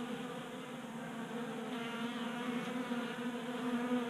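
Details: Honey bees crowd a table-top 3D printed feeder in a Colorado garage on a mild January day, burning winter fat stores; an even, low buzzing hum with fluttering overtones that grows slightly louder toward the end.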